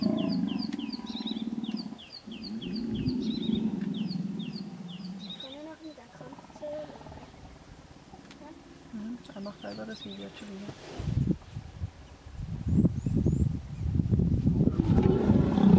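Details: Hippopotamus in the Vurhami River, Kruger National Park, South Africa, during a stand-off as a female defends her young from an approaching hippo; a deep buzzy drone, then loud rough pulsed grunts near the end, with high bird chirps early on.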